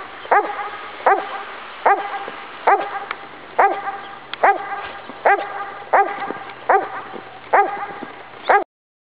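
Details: Wonder, a blind Labrador Retriever, romps wildly in winter snow, letting out about eleven sharp, resonant barks, spaced evenly just under a second apart, over a low steady background hiss.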